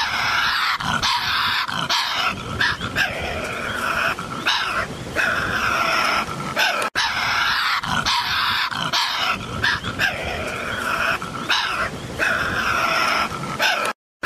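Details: A Tasmanian devil, the Tasmanian carnivorous marsupial, growling and screeching in long, rough, grinding runs of raspy sound with uneven pulses, broken by one sharp gap and ending in sudden silence.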